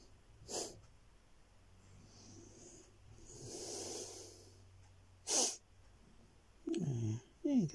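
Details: Sooty, a pet cat, being petted: two short, breathy, noisy snorts roughly five seconds apart with a faint hissing breath between them, followed by a person speaking softly.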